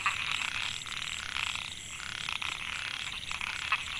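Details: Narrow-mouthed frogs (Microhyla pulchra) in Mae Hia rice field, Chiang Mai, Thailand, 2014. Males call to attract females. A dense chorus of buzzy, pulsed notes overlaps continuously, with a few louder, sharper notes standing out.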